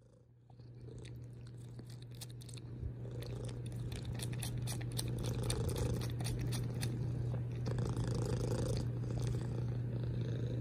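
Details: Loud purring from a domestic cat begins after a brief quiet start, a deep steady rumble that swells and eases with each breath, mixed with scattered sharp clicking kiss sounds.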